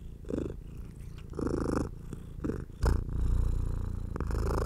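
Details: Strong, close purring from a house cat being petted, a deep, fast-pulsing rumble swelling and fading with each breath, mixed with brief brushing noises from the stroking hand.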